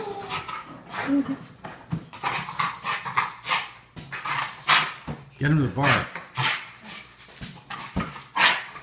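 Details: A Boston Terrier at home, excited and going crazy over a balloon, gives sharp barks and yips while people talk nearby.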